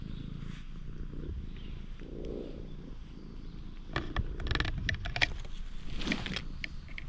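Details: Stray cat met by chance in a parking lot, opening up to a person, filmed with a GoPro HERO8: a low, steady, rumbling purr runs underneath, broken by sharp clicks and handling rustles midway.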